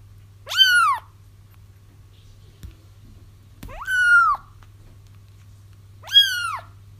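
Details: A kitten's long, drawn-out wails, heard while trapping a feral mother whose kittens were found, come three times with long pauses between, over a steady low electrical hum.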